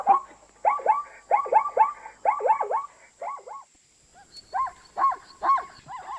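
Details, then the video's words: Repeated hoarse, looping zebra barks come in quick runs of two or three, pause briefly, then resume in a steadier sequence. A faint continuous high hiss is present. "zebra sound - zebra noise- som da zebra - barulho da zebra"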